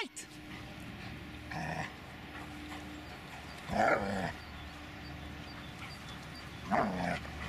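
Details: Dobermann Magmar Von Der Burgstätte gives three single deep barks spaced about two and a half to three seconds apart, with a low steady hum and faint background noise between them.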